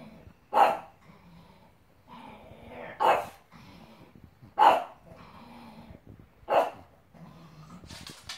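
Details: Pug indoors barking at a giraffe giving birth on screen: four sharp barks roughly every two seconds, with quiet breathing and low grumbling in between.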